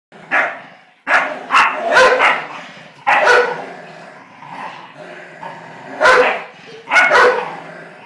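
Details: Eleven-year-old American Staffordshire Terrier and a blue nose pit bull puppy playing tug of war: rough, snarling play growls and sharp bark-like bursts, several loud outbursts over steady lower growling.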